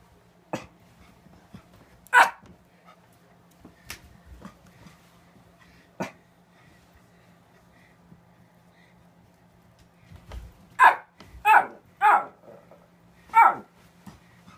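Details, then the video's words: Pet dog barking indoors to be let outside: one sharp bark early, scattered knocks and clicks, then a burst of four loud, abrupt barks spaced about half a second to a second apart. "barking to go outside"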